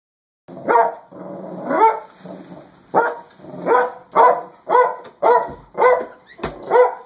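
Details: A dachshund tucked inside a coat sleeve gives a series of high, nasal barks and yelps, roughly one every half second to second, some drawn out and rising, in a quiet indoor setting.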